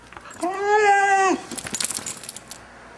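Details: A six-month-old male Vizsla makes weird noises as its owners play with it: one drawn-out, harmonic whine-howl lasting about a second, steady then dropping at the end, followed by rattling and clattering sounds.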